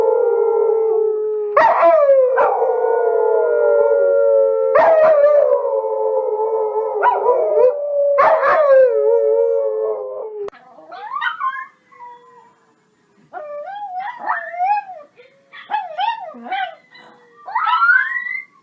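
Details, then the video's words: Dogs howl in a chorus of long held tones interrupted by repeated sharp yelps for about ten seconds, then quieter, wavering, higher howls rise and fall in short separate phrases. "PERROS QUE LADRAN SONIDO DE PERROS - SOUND OF DOGS - SON DE CHIENS"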